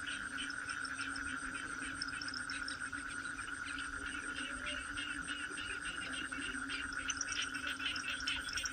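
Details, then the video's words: Toads cry in a continuous chorus: one unbroken high tone and a deeper steady hum, overlaid by quick irregular clicks and chirps from many callers. "Toad cry"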